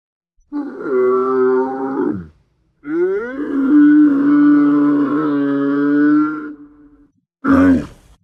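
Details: Camel giving deep guttural moaning grunts: a steady droning groan of about two seconds, a longer drawn-out bellow lasting nearly four seconds with rough harmonics, then a short final burst.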